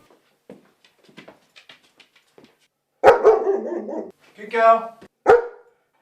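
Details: Female German Shepherd dog barking to protect the house and garden, alerting at visitors inside the home; a few loud, harsh barks in bursts after quiet clicks and movement, mixed with a man speaking calmly.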